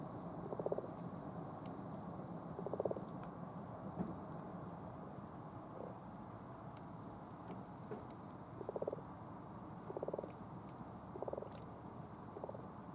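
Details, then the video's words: Frogs mating in a pond in Cambridge, UK, on 20 February 2015, several in the water at once: soft, low purring croaks in short grainy bursts, roughly six spaced irregularly across thirteen seconds, over a steady low background hum. "Frogs mating in pond"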